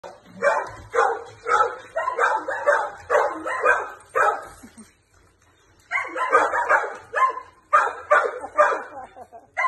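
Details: Male Jack Russell Terrier x Plott hound mix, four years old, barking while playing with a flirt pole alongside a second dog; rapid bursts of yapping barks about two per second, a pause near five seconds, then more barking.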